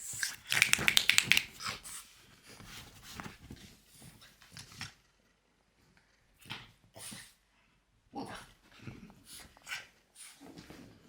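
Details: Pet French Bulldog Loki producing weird vocal noises: a rapid, high, squeaky whining burst over the first two seconds, followed by intermittent shorter grunting and snorting sounds separated by pauses.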